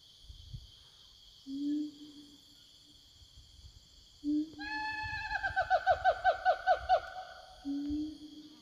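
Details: Forest siamangs calling to their companions: a low hoot, a second hoot, then an accelerating run of ringing, falling notes, and a final low hoot, with a steady high insect drone behind.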